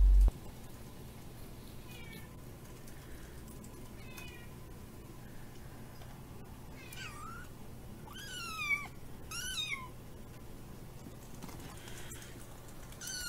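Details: ['Baby Kiki, a kitten with feline hyperesthesia, calls for tasty bonito flakes indoors; around six thin, rising-then-falling meows spaced a second or two apart, the middle ones loudest, over a steady low hum.']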